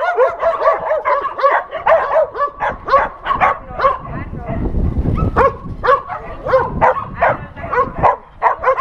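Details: Shelter dogs at an adoption center barking together at a TV crew; dense, overlapping high barks and yips, several each second, mixed with whimpers and a low rumble midway.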